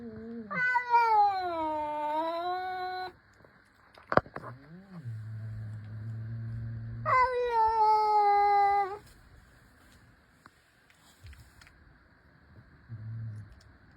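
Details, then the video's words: Mother cat talking: two long, drawn-out meows, the first dipping and then rising, the second starting high and falling. Soft low murmurs, a sharp click and quiet room sounds come between them. "cute cat 🥰 ada yang tau artinya si emak lagi ngomong apa??"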